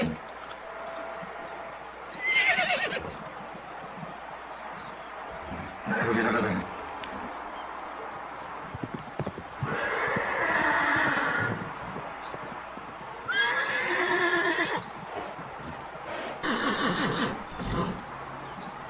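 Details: Horses in a herd, galloping, neighing: several loud, wavering whinny bursts near 2.5, 6, 10, 13.5 and 16.5 seconds over a steady rustling, hoof-like background.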